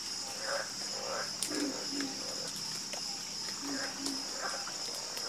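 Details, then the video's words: Frogs croaking in chorus; clear, deep, rounded croaks often paired, roughly every second, alongside sharp clicks and a persistent high insect-like whine. "Calming Sound Of Harmonious Frog Croaking"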